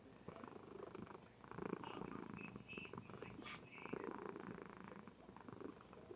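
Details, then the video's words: Sleeping female Somali cat recorded indoors on a webcam, purring steadily: a soft, continuous rumbling throb with a grainy pulsing texture, plus faint high chirping sounds in the background. "Kitty purrs and sleeps with gusto!!"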